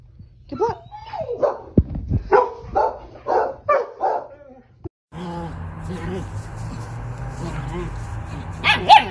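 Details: German Shepherd dog letting out a run of about six short, tonal barks, each roughly half a second apart over four seconds, then a steady background hum with a faint human voice and a final sharp yelp.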